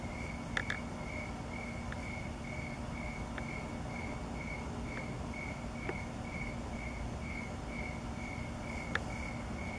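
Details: Crickets chirping at night under a full Sturgeon Moon with passing clouds on 8/6/2017; a steady, high, evenly spaced chirp repeated about three times a second, with a few faint clicks over a quiet low rumble.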